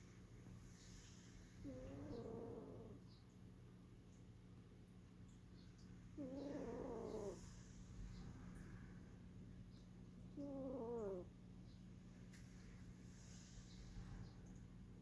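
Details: Sleeping Norwegian Forest Cat snoring: three long, rough breaths spaced about four seconds apart, each with a wavering tonal edge, over a steady low hum in a quiet room.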